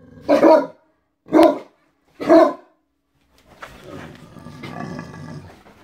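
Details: Playing on a bed at home, Great Danes including the black Dane Drake give three loud, evenly spaced barks about a second apart, followed by low rustling and muffled movement.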